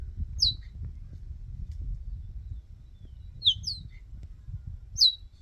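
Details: Two cheetah cubs in a game reserve, separated from their mother while she hunts, call for her with high, bird-like chirps, single or paired, sweeping downward, in three bursts spaced a second or more apart over a low rumble of wind.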